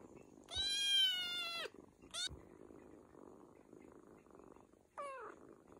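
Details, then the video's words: Domestic cat giving one long, drawn-out meow of about a second, clear and steady, then a brief short meow and a final falling meow a few seconds later, with a faint background hum. "Cute cat long meow"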